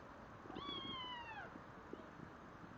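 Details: Red Devon Rex kitten, nine weeks old, outdoors for the first time with its mother watching; one drawn-out, clear meow about a second long, holding steady then sliding down at the end, over soft outdoor hiss.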